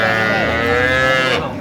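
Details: Dairy cattle at Ambari livestock market in Dinajpur, Bangladesh, 15 September 2025: one steady, rich, sustained moo lasting about a second and a half, with market crowd noise behind.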